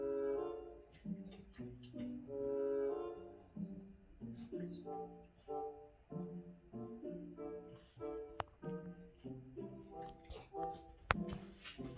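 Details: Orchestral music with brass and strings plays in short phrases, with a little speech and no animal sounds.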